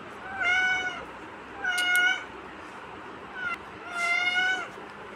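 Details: Kitten meowing repeatedly: three clear harmonic meows about every one and a half seconds, each slightly arched in pitch, with a faint shorter mew between and a soft background hum.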